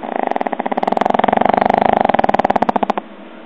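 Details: Snoring pug gives a long, loud, vibrating rattle of quick even pulses that swells and holds for about three seconds before stopping abruptly into quiet.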